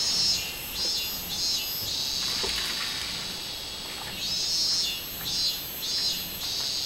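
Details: Robust cicada singing on 24 July 2016: loud high pulsed phrases, three or four throbbing beats per second, merging into a sustained shrill tone, then pulsing again.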